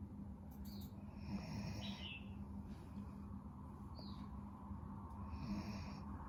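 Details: Napping dog snores in a steady, low, grumbling drone with slight rises in loudness, while a few thin bird chirps sound faintly in the background.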